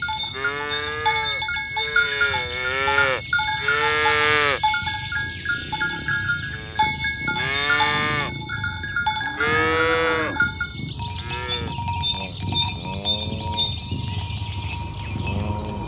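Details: Tame cattle herded along village roads toward the pen in the morning, calling others to gather: a series of arched, harmonic moos roughly every one to two seconds, over steady ringing cowbells and constant clanking.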